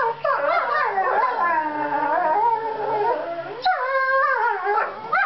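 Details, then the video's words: Two seven-month-old borzoi puppies, Velikij Pravda and Velikij Petrova, in fight-play, making sweet noises that signal their snarling faces are not serious; overlapping howling, whining tones waver and slide for over three seconds, then a brief gap and another rising-falling howl. "Velikij borzoi puppy duet"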